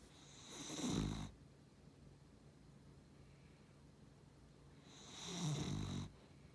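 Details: Beagle and Cavalier cross dog snoring: two long, low, raspy rumbles about four and a half seconds apart, each swelling and fading over roughly a second, with quiet room tone between.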